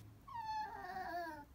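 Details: A Chihuahua cries with a long, drawn-out whimper of over a second, starting higher and gently sinking, smooth and tonal, against a quiet indoor background.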